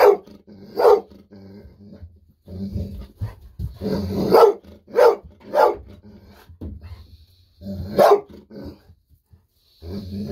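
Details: Excited Golden Retriever indoors barking nonstop while waiting for a fish-sausage treat; sharp loud barks come in irregular bursts, several close together, with a low growly hum and brief quiet gaps between.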